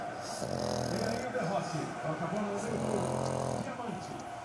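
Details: Thor, a French Bulldog, snoring while asleep: low rumbling breaths that swell and fade in long drawn cycles, with a man's voice faintly heard.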